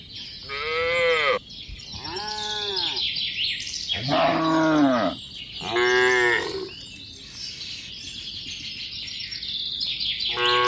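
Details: Tame cattle herd moving along a mining road to a green village: a run of four to five overlapping moos, some rough and some smooth, from more than one animal, over a continuous high hiss.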